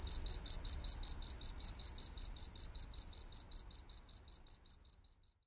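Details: Cricket chirping: a rapid, even train of short, high-pitched pulses, about four per second, fading slightly toward the end, with no other clear sounds.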